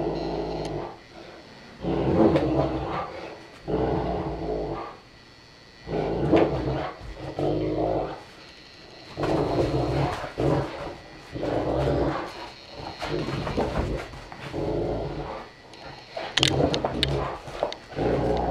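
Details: Saint Bernard parent Joseph, four years old, with one-year-old Stitch; a long run of low, throaty growling bursts, each one to two seconds, repeated with short pauses, in a small room.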